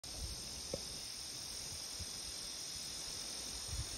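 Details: A steady, high, hissing drone of cicadas singing together in park and forest trees at Indian Cave on a summer day, 17 July 2021, with no break in the sound.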